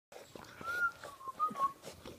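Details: Female puppies, 47 days old, give a thin tonal whine that wavers and rises near the middle before breaking into short pieces, with faint room noise behind.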